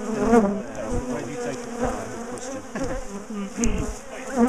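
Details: Big defensive bee colony disturbed while its top bar hive is split and moved in a garden; swelling and fading wing buzz with many overlapping wavering tones, brief knocks and clicks.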